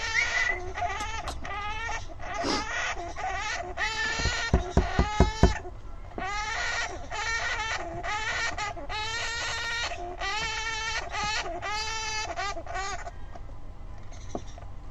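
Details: A Syrian hamster (Mesocricetus auratus) screams in anger, a run of shrill, wavering squeals repeated in quick bursts.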